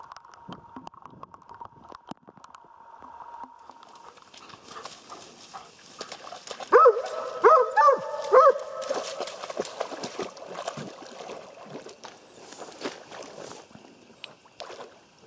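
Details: Jämthund on a moose hunt giving a short burst of four loud, hoarse barks in quick succession after a quiet stretch of faint ticking and rustling noise, with a faint steady tone early on.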